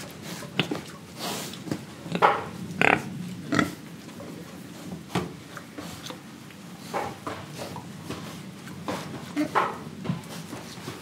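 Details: Pig in Indonesia, breathing and eating, giving a run of short, irregular oinks and snuffling grunts, some louder bursts between softer breathy snorts, in a small enclosed space.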